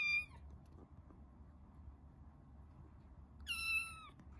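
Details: Resident tabby cats meet a caged rescued kitten indoors. A short meow opens the recording, then quiet room hum, then a second longer, falling meow near the end.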